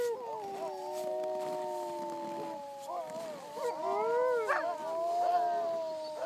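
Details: Several Siberian huskies howling together in La Plagne, long sustained tones at different pitches overlapping, with shorter rising and falling wails joining midway.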